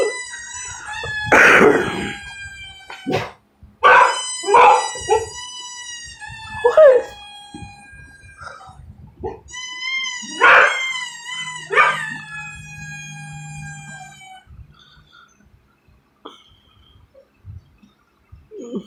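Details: Indoor pet dog barking at squeaky toy sounds playing on TV; long, wavering toy squeals alternate with short, sharp barks in clusters, then the room falls quiet apart from faint music.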